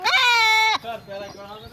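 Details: Goat bleating while being castrated: one loud, steady, nasal bleat of under a second that ends abruptly, followed by a fainter, wavering sound.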